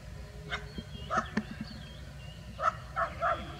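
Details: Village street dogs, a bulldog and a Labrador Retriever interacting in a rural setting, give short, moderately faint barks and yips: one near the start, a second a beat later, then a quick cluster of three toward the end, over low background rumble.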